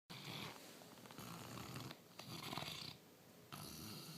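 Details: Diesel, a Bernese Mountain Dog and Labrador mix, snores while asleep indoors: rough, rasping breaths in long bursts of about a second, separated by brief quiet gaps, with a hissy airy edge over a low rumble.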